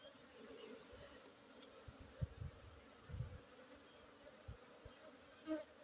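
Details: A colony of honey bees drones in a low, continuous hum during a Monday honey harvest, 5 June 2023, in a Gayo Arabica coffee plantation at Bener Meriah, Aceh, Indonesia. Soft thumps are heard under the buzz.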